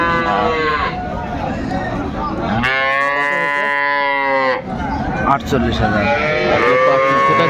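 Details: A cow among cows with calves at Aftabganj market, Dinajpur, 25 May 2024, gives a strong, steady, drawn-out moo of about two seconds, rich in harmonics, with shorter lows before and after amid constant market chatter and talking.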